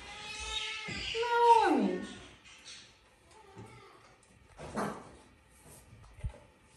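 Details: Pet cat living in a house alongside various exotic animals, with a sprig of Christmas tree nearby; one drawn-out harmonic meow sliding downward in pitch, followed by quieter rustling, a few soft clicks and faint indoor noises.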